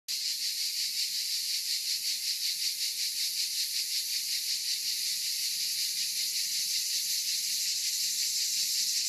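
Provençal cicadas fill the air with a loud, steady, high-pitched buzzing that pulses in a rapid rhythm.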